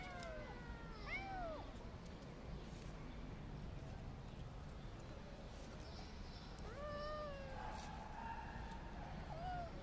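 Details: Kittens meowing, a high rising-falling cry near one second, more faint mews through the middle, then a clearer pair of drawn-out wavering meows around seven seconds, over steady low background rumble.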